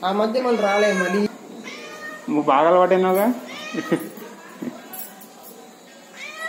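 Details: Unexpected guest, a friendly cat, gives a drawn-out meow at the start and a louder wavering mew in the middle, followed by softer short sounds, with people speaking in the background.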